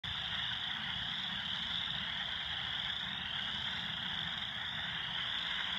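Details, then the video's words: Loud frogs calling at East Valley: a dense, unbroken chorus of high, buzzy trilling croaks holds steady for the whole stretch, with countless callers blending together over a faint low rumble. "Loud Frogs on East Valley"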